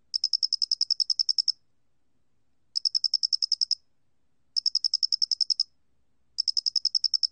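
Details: A face-flattened cricket gives short trains of high, clicking chirps, each burst lasting over a second.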